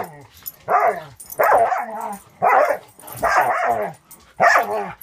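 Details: Border Collie mix puppy Angel, six months old and fostered through Wisconsin Border Collie Rescue, barks while playing with the dog Cisco: five harsh, throaty barks spaced about a second apart.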